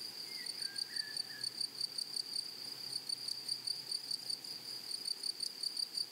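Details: In a flowery meadow, grasshoppers keep up a shrill, tonal chirping, evenly repeated several times each second. A couple of soft, lower whistles appear early on, and quiet rustling fills the background.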